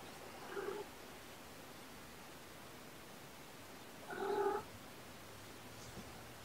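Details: Domestic cats indoors under camera watch: mother Olympia with her kittens. Two short, tonal meows with a low, steady pitch, about three and a half seconds apart, over a quiet room hush.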